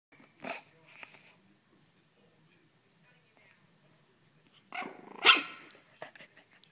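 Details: A small Pekingese plays with a blanket and gives a few sharp, raspy barks, with quiet stretches between the bursts, acting feisty.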